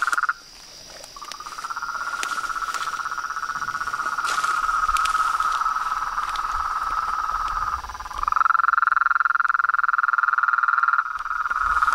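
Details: Evening pond chorus of toads, frogs and tree frogs filmed at nightfall near a house; long unbroken trills, one breaking off and a louder one taking over near the end, with faint rustling underneath.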